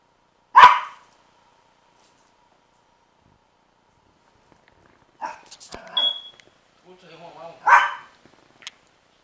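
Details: Princess, a dog, barking at Rocky, a baby pitbull puppy, on 12-08-09: one sharp, loud bark, then a long quiet gap before human speech and murmuring voices near the end.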